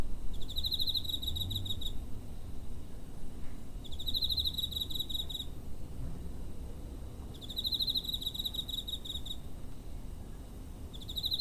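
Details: Recorded near home with a TASCAM DR-05 on 7 September 2023, a cricket repeats short, shrill pulsed trills about every three and a half seconds, four bursts in all, against a constant low murmur of background noise.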